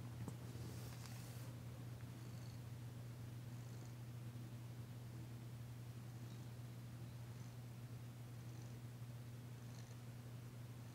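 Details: Danci, a female domestic cat, purring while being massaged indoors in February 2022, still tentative but enjoying it; a steady low continuous rumble runs throughout, with faint soft rustles above.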